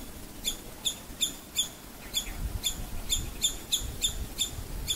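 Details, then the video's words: Alarm calls of a startled female squirrel: short, sharp, piercing chips, a few spaced notes, a brief pause, then a quicker cluster, set against faint low background rumble. "Alarm call of a Squirrel - Guess who scared her!!"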